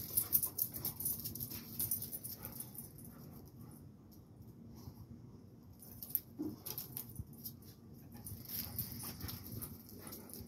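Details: Two dogs, a Rottweiler against a blue pit bull, fighting; a continuous low snarling rumble with irregular scuffles and bumps, louder at the start, quieter in the middle, then rising again with hissing noise above.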